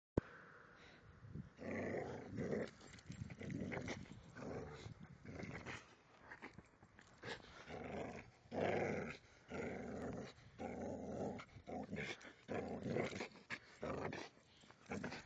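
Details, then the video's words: Excited dog growling as it nears home on the way back from a walk, a long run of low rough growls broken by brief pauses, rising and falling in bursts over fifteen seconds, with outdoor background noise. "Dog Goes Crazy On Walk!"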